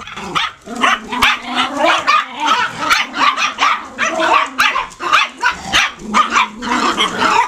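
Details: Puppy barking in a rapid, steady series of short high yaps, roughly two or three per second, each bark sharp with a slightly whiny, tonal edge; no other sounds stand out.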